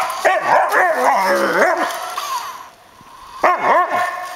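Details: Samoyed dog chasing a remote-controlled car as exercise, giving a quick run of high, wavering yelping barks for about two seconds, a short pause, then another burst of yips.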